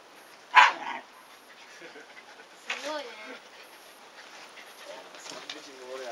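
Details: Shiba Inu puppies, 104 days old, play-chase their father outdoors while the mother grumbles at them. One sharp high yelp opens, followed by a drawn-out, wavering whine and softer vocal sounds fading toward the end.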